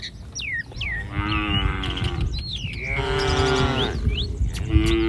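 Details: A herd of cattle wandering along a street, giving drawn-out, steady-pitched moos that overlap, while birds chirp and whistle constantly in the background.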